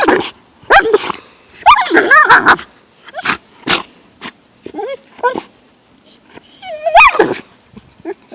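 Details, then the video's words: Siberian husky complaining at a golf club it hates: quick bursts of yodelling, pitch-bending yowls and short barks, a busy flurry early on, a quieter gap, then a final long wavering cry. "A wolf/Siberian husky hates golf clubs"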